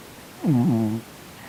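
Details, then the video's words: Sonny, a chubby male Korean shorthair cat, asleep and twitching as if in a nightmare, lets out one short, low, voiced moan with a slight dip and rise in pitch, lasting about half a second, indoors. "Cat Twitching and Snoring in his sleep - 코골면서 경련하는 고양이"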